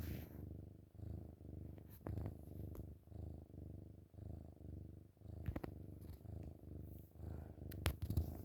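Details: Loud purring from a cuddling kitten in the morning, indoors; low buzzing rumble pulsing with each breath for several seconds, broken by small clicks and rustling sounds of movement.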